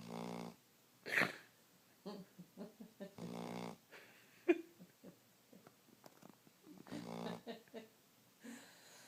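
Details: A sleeping dog snoring, with wheezy, harmonic breaths roughly every three to four seconds and softer snuffling, clicking noises between them.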